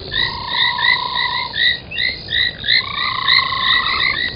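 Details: Night chorus of frogs at a foam nest at a waterhole in Sabi Sand, South Africa, 03:40, January 2021. Rapid overlapping upswept chirps fill the air, with long even droning tones running beneath.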